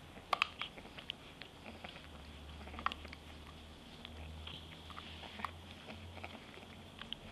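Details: Lily, a white French Bulldog puppy, eating her favourite treat and making little piggie noises: irregular wet, crunchy chewing clicks with sharp bites near the start, over a low steady indoor hum.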